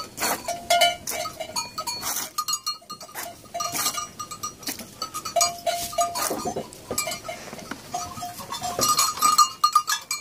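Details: Two goats at milking time, with the milk later given by bottle to an orphan lamb whose mother died at birth. Brief nasal bleats are held at a steady pitch over frequent sharp clicks and clatter.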